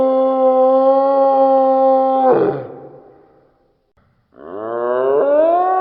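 A deer gives a long, steady, tonal moan, then after a pause a second call that rises in pitch.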